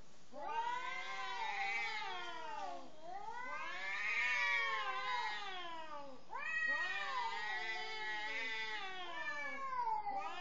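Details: Angry cat confronting a partner before mating; loud, harsh, wavering howls rising and falling in long arcs, three drawn-out yowls that dip and climb again with little pause.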